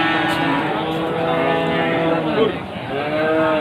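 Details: Goats at a busy market in Trenggalek, Indonesia, before Qurban, May 2020; a long, flat bleat drones for about two seconds, then a short rising cry, with a man speaking and market bustle behind.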